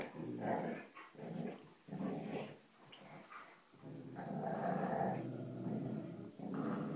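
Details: Dogs tugging on a rope give low, throaty growls in uneven surges. Short broken bursts come first, then a longer sustained rumble, heard at close range in a small room.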